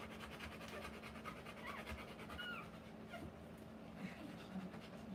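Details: Rottweiler female whelping puppies, quick shallow pants running on in an even series, with soft human talk and a few faint thin squeaks mixed in over a low indoor hum.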